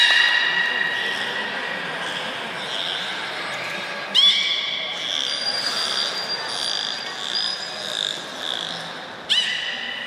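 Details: High thin whistles and wavering tones from captive belugas Gray, Nana and Niko, recorded after a training session at Port of Nagoya Public Aquarium, Japan, on 1 January 2019. Two sharp upward-sweeping calls break in amid the steady warbling.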